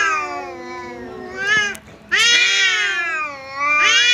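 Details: Tense yowling as a resident cat confronts a visiting cat: a long wavering wail, a brief break, then a sudden louder howl that holds high and sinks slowly, with a third wail starting at the end.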